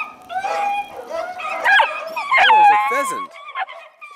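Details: Loud female Beagle puppy in Stevensville, eager to play with the other puppies, gives quavering, whiny bays that break upward and downward in pitch, mixed with a person's voice throughout.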